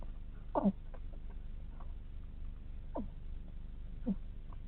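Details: Snoring from a sleeping hedgehog: three short descending squeaks, the first loudest, at uneven intervals against faint low background noise.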